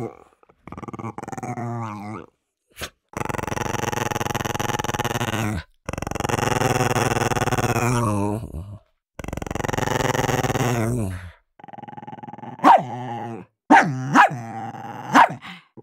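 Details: Dogs fighting over food: several long, rough growls separated by brief pauses, ending in a burst of four loud barks over the last few seconds.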